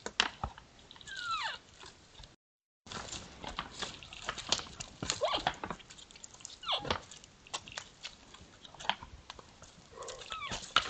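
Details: A pair of sambar sparring: a few high squeals dropping steeply in pitch, spaced several seconds apart, over a steady scatter of sharp clacks and rustles, with one short break of silence.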